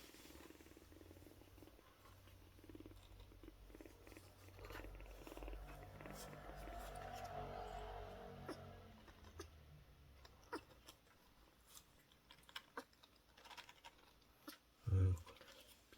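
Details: Low, steady purring rumble from a kitten about one month old, apparently male, found in daylight at a market vegetable shop and kept somewhere warm. The purring swells in the middle stretch, with a soft thump near the end.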